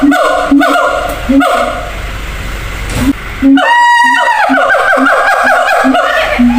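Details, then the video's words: Caged zoo siamangs calling to each other between separate enclosures over a distance; repeated booming hoots, a brief pause, then a fast rising, wavering shriek that breaks into a rapid run of loud hoots. "gibbons sound MP3 real"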